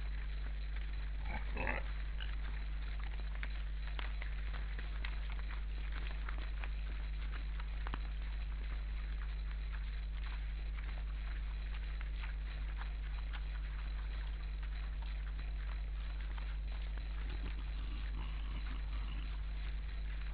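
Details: Wild boar at an Estonian forest camera on 12 December 2012 at about 16:44, a group of eight with two seemingly "conversing": low, rough grunts with a brief squealing burst early on over a steady hum.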